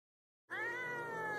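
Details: Domestic cat giving a single drawn-out meow after half a second of silence, steady and slightly falling in pitch, with clear stacked harmonics and faint background music.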